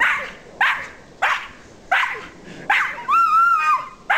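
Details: Rosie, a pet dog that climbs the yard tree and makes monkey noises, barks sharply about every 0.7 seconds, six barks in all, with a drawn-out high whine between the last two.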